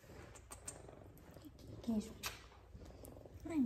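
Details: Two F2 Savannah cats purring while being petted and giving affection at home; a soft, low, continuous rumbling purr under a woman's gentle speaking voice, with brief faint music.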